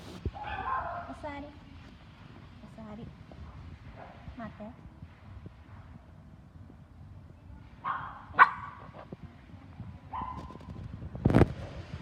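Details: Schnauzer at the Fujieda branch of the Inu no Ie pet shop, giving short, high, nasal yips and whines at the start and again around eight and ten seconds, over people talking, with a sharp knock near the end.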